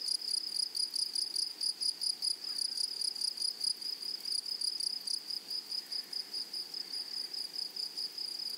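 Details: Grasshoppers chirring in a flowery meadow, a bright, high buzz broken into rapid repeated pulses, roughly two or three per second, steady over the whole stretch against a quiet background.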